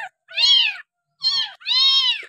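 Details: Stray village kitten found discarded beside a house and bottle-fed with powdered milk, giving three strong drawn-out mews in quick succession, each slightly arched in pitch, indoors with no other sounds.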